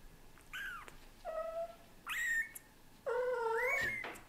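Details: Indoor pet cats, an adult male British Shorthair slowly getting used to kittens; four drawn-out meows about a second apart, some rising then holding level, with bright layered overtones and a short click between calls.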